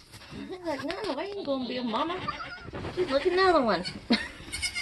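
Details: Nigerian goat on a homestead during kidding season, around a birth: wavering, harmonic bleats rise and fall in quick succession, mixed with people talking nearby.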